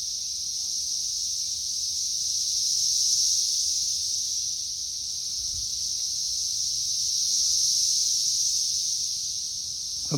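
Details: Periodical cicadas swarming on a tree in May 2024, the third week of the emergence: a constant high, hissing drone that surges twice in slow waves, with faint low thumps near the end.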